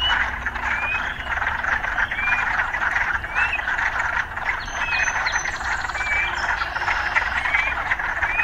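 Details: A thick chorus of frogs amid city surroundings, with steady trilling and scattered short rising whistles repeating irregularly throughout.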